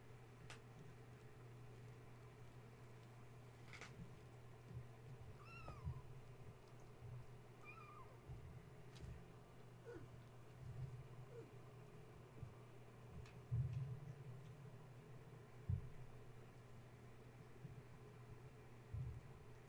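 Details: Gaia's kittens indoors at bedtime, woken when a space heater was plugged in, playing and climbing the fence and kennel while their mother tries to settle them: a few thin, high mews scattered among soft clicks and scrabbling over a steady low heater hum.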